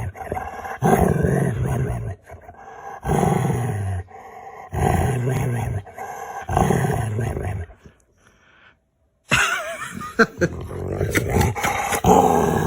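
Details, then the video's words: Playing games with its owner, a pet dog gives rough, low, moaning growls. Four drawn-out bursts of one to one and a half seconds come in steady succession, then a pause and busier noises, over background music. "Cute dog makes funny noises with his owner"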